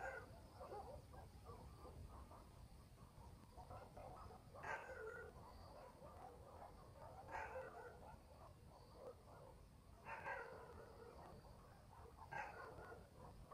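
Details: Dogs barking at night in a country village: single hoarse barks ring out about every two to three seconds, set over a steady, buzzing night chorus and a low rural rumble.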